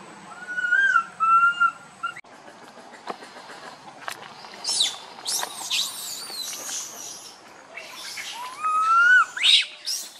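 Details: Tiny monkey wandering near its group, crying loudly: two bursts of tonal, wavering cries that rise and fall, one near the start and one near the end, with high chirping birds and rustling in between.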